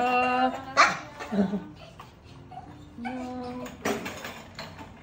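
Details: During a two-week hospital visit, Maltese Dubu whimpers to go home with her owner after surgery: steady thin whines broken by short yips, with voices in the room.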